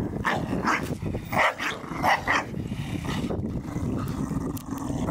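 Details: Garden play among Staffordshire Bull Terriers destroying a Christmas ball: clipped growly yaps clustered in the first two seconds, then a lower continuous rumble of movement and panting.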